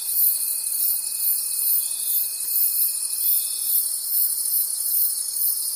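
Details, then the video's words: High, glittering cricket chorus from a forest at night, pulsing rhythmically in gentle surges, with a steady thin tone that holds for the first few seconds and then drops away. "Forest Sounds and Cricket Conversations at Night"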